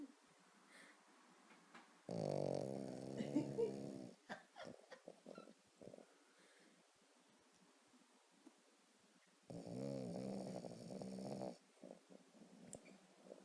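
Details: A sleeping female Boston Terrier, thought to be dreaming of squirrels, snores in loud, rasping two-second breaths, growing louder, with quiet voices between them.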